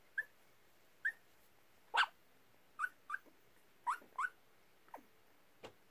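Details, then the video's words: A sleeping Yorkshire Terrier mix gives soft, high, clipped yips and whimper-like barks, about nine brief notes spaced roughly half a second to a second apart, then fading to faint muffled sounds in a quiet room. "Yorkie Mix sleep barking"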